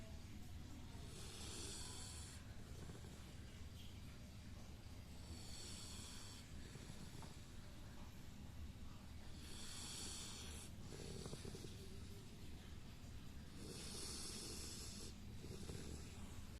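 A sleeping Labrador Retriever snores in slow, regular breaths, each a soft hissing rasp about four seconds apart.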